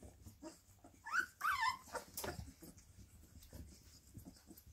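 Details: Several bull terrier puppies in a play fight give a couple of shrill, bending squeals early on, followed by quieter snuffling, breathing and scuffling sounds.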